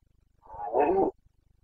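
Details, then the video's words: Carpathian red deer stag in Bucovina during the breeding season, 29 September 2022, roaring once: a loud, harmonic, moaning bellow of about 0.7 seconds, rising in strength then cutting off abruptly, over a faint ticking background. "Boncănit / Carpathian stag Breeding season"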